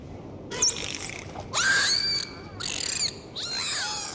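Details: Dolphins during a sea dive give short looping and sliding whistles in four bursts, some curling sharply up and down, over a constant background hiss.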